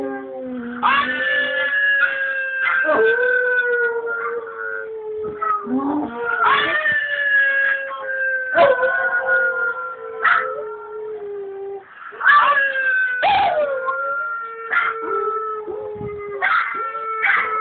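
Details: A dog howls in long wavering notes, each starting high and sliding slowly downward, howling along to a video playing on the computer.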